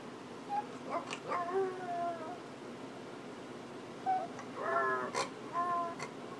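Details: Rosie, a little red dog, whining while her owner is away at the office, with sounds like a basset hound: quavering, wavering cries at mid pitch in two bursts, several drawn-out whimpers with short pauses between.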